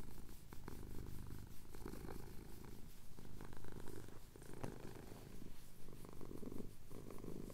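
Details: Cotswold sunrise: a male cat purrs softly while his chin is scratched, recorded on a Tascam DR-07X. Quiet, even, low-pitched purring rises and falls with his breathing, with occasional faint clicks.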